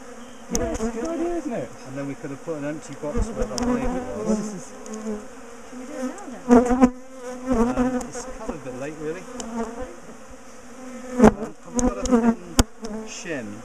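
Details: Buzzing of many bees as a big top bar hive colony, known for chasing its owners down the garden, is split and moved; dense swirling drones rise and fall, broken by scattered clicks and taps of hive work.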